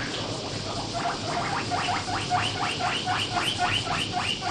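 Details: Pet guinea pig of about 1 kg, kept in a home, begging loudly while eating grass: a rapid series of shrill, rising squeals, roughly two per second, over a steady hiss of background noise.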